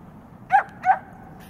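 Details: Ruger and Missy, a Newfoundland and a Great Pyrenees at play; two clear barks in quick succession about a third of a second apart over low background hum.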